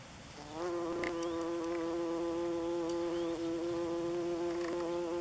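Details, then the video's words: Buff-tailed bumblebees making orientation flights over their nest in northern Germany on 27 June 2015, a loud steady buzzing drone with clear harmonic bands, starting after half a second and holding, with faint passing buzzes of other bees. "Erdhummelnest - Bumblebee nest (Bombus terrestris)"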